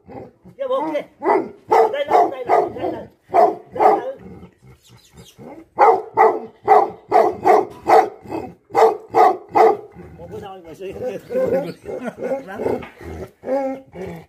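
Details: Angry Tibetan Mastiff dogs, the Bhote Kukur, barking in loud rough bursts of about two to three barks per second, with brief lulls and a looser, softer run of barks near the end.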